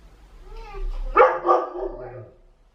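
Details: German Shepherd indoors getting vocal over a toy trapped in a washing machine; a wavering whine rises into a short, louder yelping outburst at the midpoint, then fades, with a person's voice and a low machine hum.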